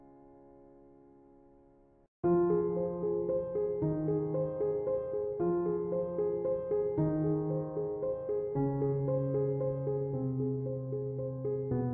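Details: Soft electric piano music with no animal sound; a quiet sustained chord for two seconds, then louder repeated keyboard notes and steady bass tones continue to the end.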